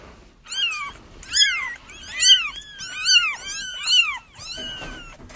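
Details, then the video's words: Crying kittens used to draw a feral mother into a trap: five or six loud, high mewing bursts, each arching up then down, repeated roughly every second with overlapping voices and no other sounds. "30 minutes of Kittens Crying"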